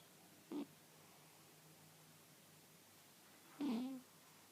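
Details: Domestic cat snoring in his sleep indoors, dreaming; two short squeaky, nasal breath sounds about three seconds apart, the second longer with a wavering tone, against a quiet room hum.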